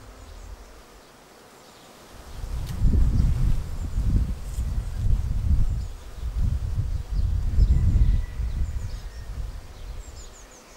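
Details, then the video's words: Honeybee swarm filing into a bait hive in May; after a quiet start the low buzz surges loudly, pulsing for several seconds as bees pass close, then fades, with faint birdsong behind. "Watch the bee swarm arrive and file straight into the swarm trap."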